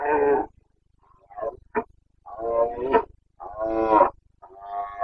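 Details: Wild Carpathian red deer stag roaring during the rut (boncănit) in the Bucovina mountains, 29 September 2022: harsh, harmonic bellows of about half a second, five bursts spaced unevenly with short silent gaps between them.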